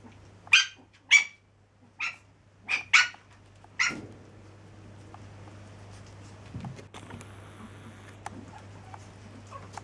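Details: Seven-week-old Chihuahua pups give six short, sharp, high-pitched yips in quick succession over the first four seconds, then fall quiet, leaving a low steady hum and faint scattered clicks.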